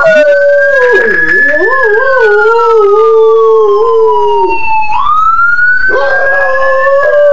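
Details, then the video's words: A dog howls in response to an ambulance siren, its wavering, quavering voice bending up and down while the siren sweeps slowly downward, then rises sharply again behind it. "Dog howling at ambulance siren"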